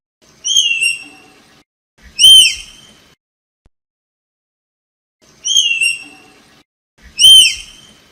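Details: Tapir giving shrill, squeaky whistles in two pairs. A shorter note is followed about a second and a half later by a louder one that dips sharply at the end. Each pair is separated by a long silence.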